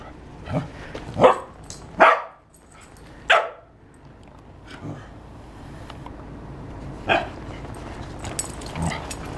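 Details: Short, sharp dog barks, four in quick succession within the first three and a half seconds, then two more spaced barks later over a low steady background hum.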